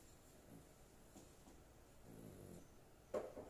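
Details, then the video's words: A female pet dog snoring softly while she sleeps well indoors: faint, low raspy breaths, with a louder throaty snore near the end and a sharp click just after it. "My dog snoring"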